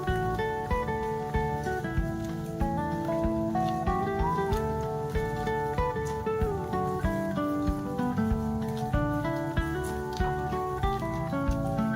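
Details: Gentle strummed acoustic guitar melody with a steady rhythm runs the whole time, with no animal calls audible.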